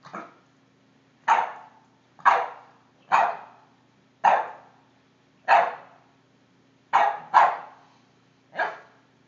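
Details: A 5-month-old Boston Terrier barks at a cord, giving a series of sharp, mid-pitched barks, roughly one each second.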